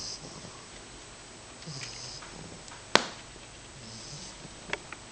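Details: Matzoball, a 10-week-old female English Bulldog puppy, snores while asleep indoors: two soft, wheezy breaths with a hissy upper edge and a low rasp, broken by one sharp click between them.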